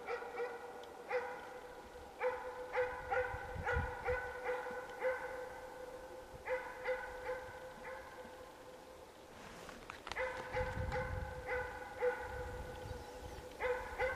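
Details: Moose hunting dog in its first season, barking at the start of the 2013 moose hunt in Finland, minutes after release: steady series of sharp harmonic barks, irregularly spaced, roughly two to three per second, with a brief pause mid-clip, outdoors in quiet forest.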